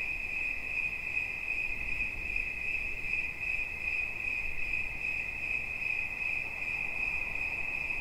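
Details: One cricket trills steadily, a piercing high ringing made of quick pulses, with a faint echoing overtone and soft low rustle beneath.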